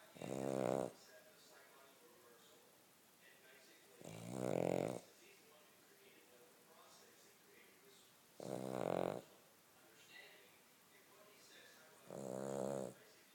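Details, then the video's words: Cavalier King Charles Spaniel snoring while asleep indoors, four drawn-out raspy snores each lasting under a second, spaced about four seconds apart, with quiet between them. "Snoring King Charles"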